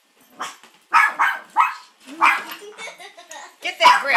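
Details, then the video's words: Pet Maltipoo Molly reacting to an oil painting of a grandfather, giving a rapid series of yappy barks mixed with whiny, grumbling tones, some overlapping human voice. "Molly barking at Grandpa painting"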